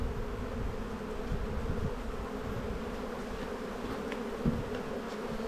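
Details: Spring hive inspection with honey bees, boxes being added: a continuous low droning buzz, smooth and unbroken over five seconds, one small knock near the end.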